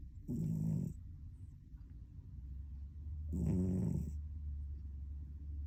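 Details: Cat asleep and snoring, two drawn-out guttural rumbles about three seconds apart, the second longer and louder, against low steady background noise.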